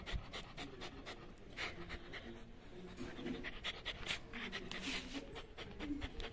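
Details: Three-month-old Labrador Retriever puppy panting: rapid, breathy huffs repeated several times a second in an irregular stream, soft background music beneath.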